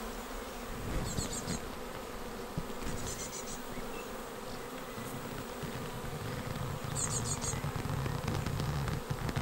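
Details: Honeybee swarm arriving at a bait-hive swarm trap on 19 May, the second swarm caught, filing straight into the box. A steady droning hum with layered tones, short high bird chirps near one, three and seven seconds, and low wind rumble throughout.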